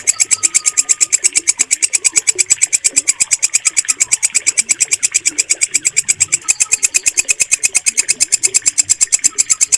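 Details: Walang kecek bush cricket, its loud, steady sound used to train pet songbirds, giving rapid regular dry pulses about three per second, bright and high, with faint thin whistles in the background.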